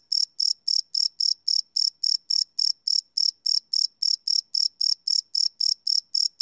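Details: Night-time cricket caught live on a Sony PCM D100 recorder, giving sharp high-pitched chirps in a rapid, regular train of roughly three or four per second against a silent background.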